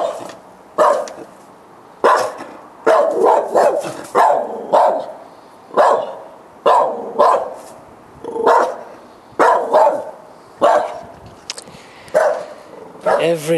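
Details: Persistent nighttime barking from dogs at 10 o'clock on a July 2013 evening, recurring every night; loud barks repeated about once a second in a long, fairly even series, with faint whining at the close.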